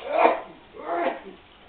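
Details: Two drawn-out, voiced meows about a second apart from Malibu, a male house cat who answers with meows when spoken to, between a woman's affectionate words.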